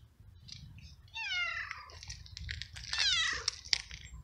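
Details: Hungry stray cat living alone on the street, met in the rain while eating flying ants: loud harmonic meows, one rising and falling, then a longer wavering cry, over low rumbling background noise.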